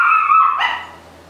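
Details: Young female coyote pup vocally demanding breakfast: a loud, high, drawn-out whining cry holding steady, then a brief harsher upward break before fading away, with no other clear sounds.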